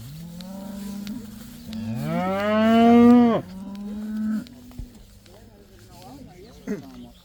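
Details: First day outdoors for a herd of about 80 cows. A loud, strained moo rises and holds for nearly two seconds, with quieter steady lowing from other cows before and after and a few short grunts.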